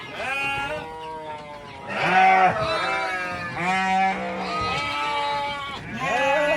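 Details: Several goats at a goat farm, little kids included, bleat almost without pause, overlapping nasal cries rising and falling, some steady and drawn out, others shaky.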